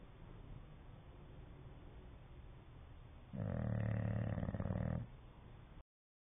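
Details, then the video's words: Sleeping English Bulldog snoring with flapping lips: after several seconds of faint, low background breathing, one loud, rough, deep rumbling snore lasts under two seconds, then quiet returns. "the English bulldog snoring and flapping"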